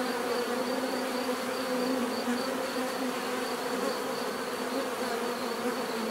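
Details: Natural buzzing of bees, a thick continuous drone of many insects with shimmering higher overtones, level and unchanging, no other sounds standing out.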